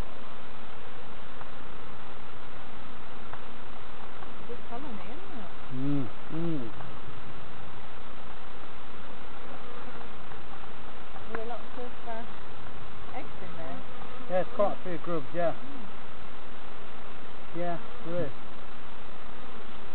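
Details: Honey bees buzzing during a hive inspection by novice beekeepers at Summerwood Lane Allotments and Community Garden; a steady low, dense hum runs throughout, with brief human voices breaking in around six seconds and again near the end.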